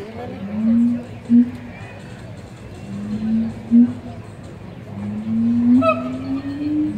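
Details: Siamangs at the Columbus Zoo, May 2017, give low, rising hoots in a series, each note swelling upward with short sharp accents between.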